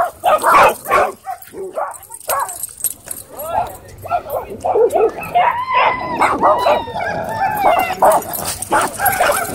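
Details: At a dog park, a Dwarf Staffordshire Terrier squares off with an American Bully. Scattered barks come first, then drawn-out, wavering whines and yelps in the second half, mixed with people talking nearby.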